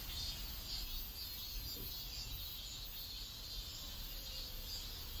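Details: Cicada chorus from a neighborhood in South Korea: continuous shrill buzzing with gentle pulsing, set against constant low ambient rumble.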